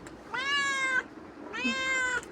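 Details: A cat pesters its owner after coming back from wandering, giving two long, even meows about a second apart, each clear and tonal with a slight drop at the close; no other sounds stand out.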